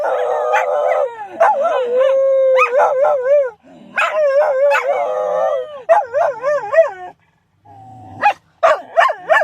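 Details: Shetland sheepdogs howling: a sustained, wavering tonal howl with rich harmonics opening the clip, then a steady long note, followed by bursts of short, bending yelping howls and a brief pause before more rising-falling cries.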